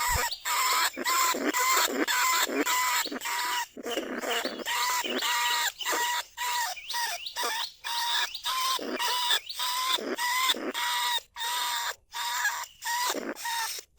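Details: Lesser bandicoot rat calling from inside a trap cage in rice paddies at Na Lao, Nong Khu Phai, recorded live as a lure sound: steady series of shrill, nasal squeals with clear harmonics, each short burst separated by brief pauses, close and dominant.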